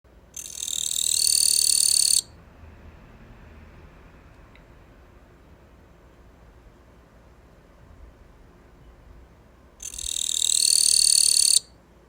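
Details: Captive Gampsocleis katydid that has just started singing: two loud, dense, buzzy high-pitched trills, each about two seconds long, separated by roughly eight seconds of quiet room hum.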